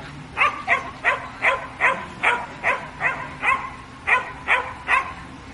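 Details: Samoyed at agility, barking steadily: about a dozen sharp barks in a row, roughly two or three each second, loud and evenly spaced, with faint background noise.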